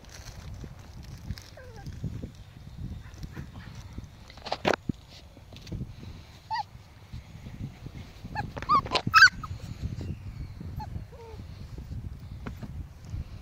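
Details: Playful five-week-old Pomsky and Husky puppies; scattered short yips and squeaks, a sharp cluster near the middle and a few thin whines, separated by quiet stretches of low shuffling noise.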